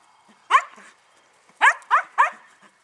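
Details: Puppies at Paquera giving four short, high, bright yelping barks: one alone early on, then three in a quick run about a third of a second apart, with near silence between.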